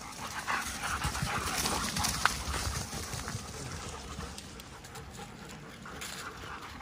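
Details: German Shepherds, one of ten playing together, panting in rough, breathy bursts repeated about twice a second over steady broadband rustle and movement noise.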